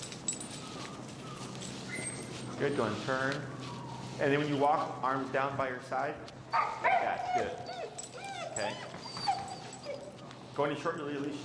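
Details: Heel lesson with Finnegan, a feral husky voicing disagreement with a behavior under training pressure: dense bursts of warbling, harmonic grumbles and whines, several in quick succession mid-clip, mixed with human speech.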